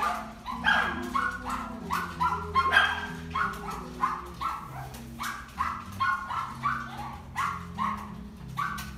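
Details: Papillon bitch, white and brown, born 2 January 2018, at a pet shop: a long run of sharp, high-pitched yaps repeated roughly twice a second, some doubled, over a faint low background hum.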